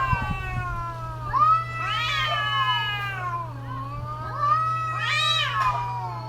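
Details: Cats calling to each other during mating season: long, wavering, wailing yowls that rise into strained, high peaks around two and five seconds, over a steady low electrical hum.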